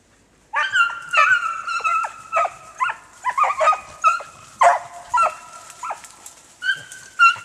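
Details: Pair of hunting beagles baying on a snowshoe hare trail in the Allegheny National Forest, northern Pennsylvania, snowless ground; sustained howls mixed with short choppy yelps, roughly two a second, loud and close.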